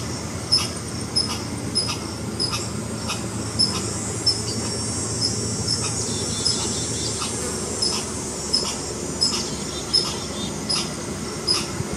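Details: Alarm calling by a red squirrel, a quick series of short, clicking chucks, around seventeen in twelve seconds, some closely paired, against a constant thin high whine and a soft low background hum.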